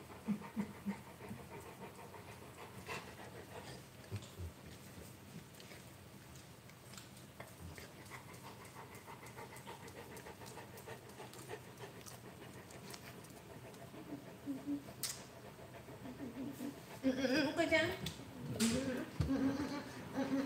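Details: Rottweiler puppy panting softly and steadily during a morning livestream, fast breathy huffs running through most of the stretch, then louder rustling and handling sounds near the end, with a person speaking just afterwards.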